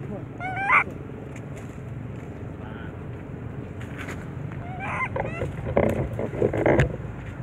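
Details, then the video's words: Little baby monkey crying loudly: a sharp, rising, harmonic wail early on, then a cluster of shorter broken cries near the end, over constant low background rumble and some clattering noise. "Little Baby Monkey,Crying Loudly"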